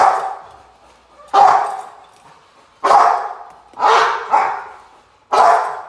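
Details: Rottweiler barks from Gypsy v LordsNLadies during protection training post work, July 8, 2021: five forceful, harsh barks spaced roughly a second apart, each sharp onset fading away, with little background sound.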